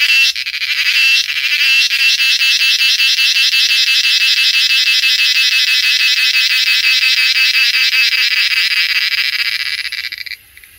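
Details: A cicada in Coorg sings a loud, steady, high buzzing drone that pulses rapidly and fades at the end; male cicadas make this song by vibrating tymbals near the abdomen.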